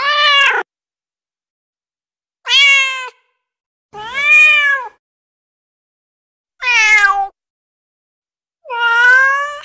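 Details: Female kitten meowing, a domestic cat call meant to attract other cats: five clear, bright meows with rich harmonics, some rising and some arching, repeated about every two seconds with silence between.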